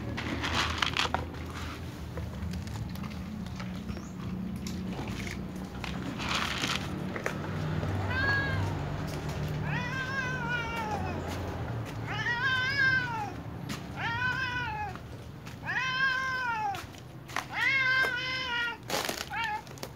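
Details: Several domestic cats, including little cats, a tom, a ginger and a silver cat, meowing pitifully at meal time; a run of about seven harmonic, arching meows in the second half over low rumbling background noise and clicks.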